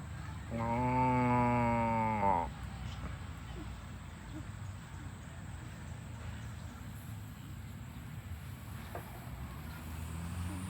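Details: Cows running home to the barn on a farm; one long, steady moo lasting about two seconds, rich and harmonic, then fading into low rumbling background noise for the rest of the clip.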